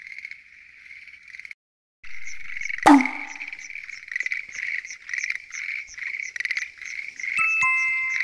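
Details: Night chorus of Schlegel's green tree frogs at a lotus pond: pulsing, rattling croaks overlapping continuously, with a loud knock partway through and bright chime-like tones near the end.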